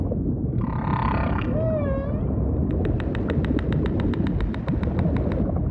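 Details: Humpback whale song set in ocean ambience: a harmonic, wavering moan followed by a smooth, gliding tonal sweep, then a fast, even train of sharp pulses for the last three seconds, all over a constant low underwater rumble.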